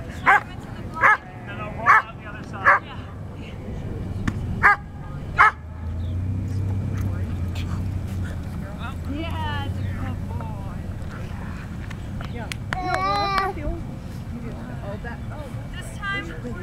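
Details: Barks from Slash, a male Standard Poodle working a sleeve in Schutzhund bite training. Around five punchy barks come in the first six seconds, then people talk and praise him over a low mechanical rumble.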